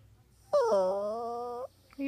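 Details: Poodle crying with a sustained, wavering whine about a second long, slightly falling then steady, while a person asks what is wrong and calls him sad.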